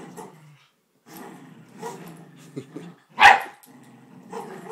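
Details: Indoor scuffle between poodles Bailey and Chloe over a grandmother's blanket: steady low growling, a brief pause, then one loud sharp bark before the growls resume.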